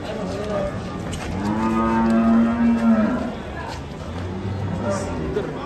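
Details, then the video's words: Raging cow coming down off a truck lets out one long, steady, low moo lasting about two seconds, with softer calls and background noise around it. "SAPI NGAMUK SEREM SEKALI NABRAK MOTOR SAAT TURUN DARI TRUK"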